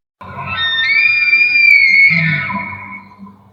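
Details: A wild elk bugles about 10–12 feet from a camp in New York woods at 11:30 at night: a loud, high, shrill scream-like whistle held steady, then sliding down, over low grunting.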